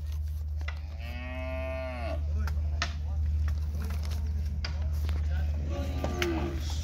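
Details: Cattle, a lot of seven steers penned at a livestock auction sale in Araçatuba, São Paulo, Brazil, on Thursday 11 March 2021. Two drawn-out, harmonic, wavering moos, one long and one shorter near the end, over a constant low mechanical hum.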